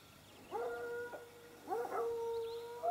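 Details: Sparks hounds: two long, steady howls, each held about a second at a fairly low pitch with clear overtones, the second drawn out longer and ending with a brief rise; quiet background otherwise.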